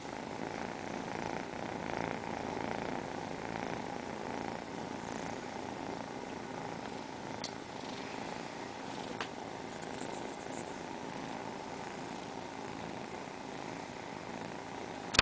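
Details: Continuous purring from four cats lined up side by side, a smooth sustained engine-like rumble, slightly louder early on, with one sharp tap at the very end.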